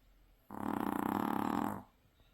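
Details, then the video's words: Maltese dog deeply asleep after a beach outing, giving a rattling snore of about one and a half seconds, buzzy and vibrating with rapid pulses, steady in loudness, in a quiet room. "바다 갔다와서 떡실신한 말티즈 역대급 코골이"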